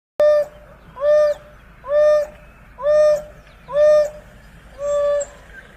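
An African wild dog gives a clear, hollow "wooo" call, repeated about once a second.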